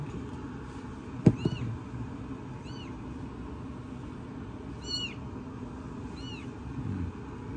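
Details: Rescued kitten in a 2023 foster-care home for cats, giving four thin, high, arched meows spaced one to two seconds apart, with a sharp knock early on and a steady low rumble underneath.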